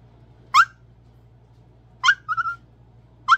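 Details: Izzy B, a tiny pet Chihuahua too small to play with the big dogs, gives three sharp high yips spaced about a second apart. The middle yip trails into a quick string of short squeaky notes. The room is otherwise quiet.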